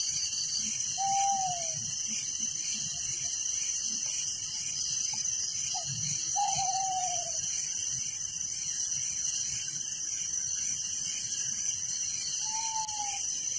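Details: Crickets chirping at night in a village, a dense, steady high pulsing chorus running unbroken, with a few short descending whistled notes from another creature at the start, middle and end.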